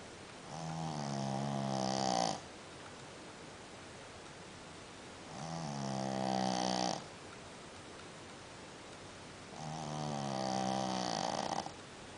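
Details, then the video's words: Sleeping dog snoring like a human: three long, loud, buzzy rattling snores, each lasting about two seconds and coming roughly every four seconds, over a steady background hiss. "Sleeping like a dog, snoring like a human"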